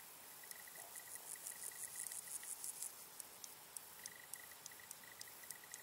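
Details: Large marsh grasshopper in marshland in the Vendée, France, giving quick bursts of sharp, dry ticking clicks. A steady, faint, high pulsing chirp from another insect runs in the background.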